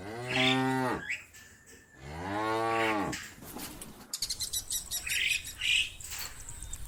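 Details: A cow in a vast, sunlit meadow with hundreds of cows gives two drawn-out, deep moos, calling herd mates to come home to the barn, with birds chirping after.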